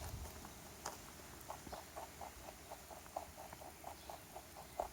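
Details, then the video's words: Rabbit munching a carrot in a backyard after losing its owner; quick, evenly paced crisp crunches, roughly four or five a second, with a couple of louder bites near the start and end against quiet hiss. "Sound Effect of Rabbit Eating Carrot"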